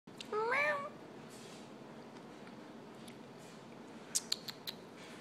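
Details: Lynx point Siamese kitten playing fetch gives a single short rising-then-falling meow near the start, followed by quiet room sounds and a few soft clicks.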